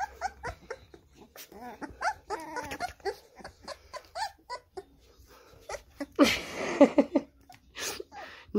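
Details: An American Staffordshire Terrier, in a supposed attack on a person, whimpers and yelps in short, wavering, nasal bursts amid rapid breathing, while people talk and laugh loudly over it.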